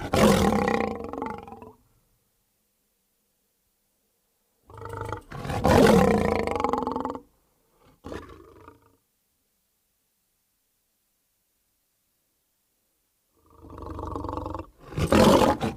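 A lion gives deep, rasping roars in bursts separated by long silences.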